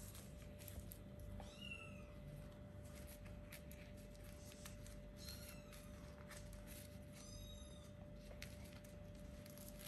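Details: Little kittens around four weeks old, starting to play, give two or three faint high meows between rustling and a steady low background hum.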